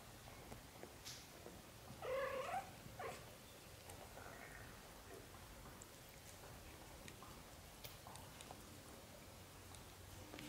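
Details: British Shorthair kitten, one of a litter of four, recorded indoors in its first month of life. A single short, strained mew rises and falls around two seconds in, followed by faint scuffling and quiet room hiss.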